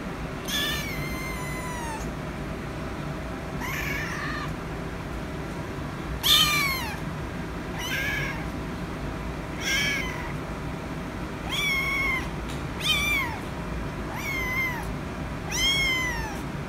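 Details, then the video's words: Rescue kitten meowing for attention: about nine drawn-out, high meows that fall in pitch at the end, spaced every one to two seconds over a steady low background hum. "The Rescue Kitten Meowing So Cute For Attention"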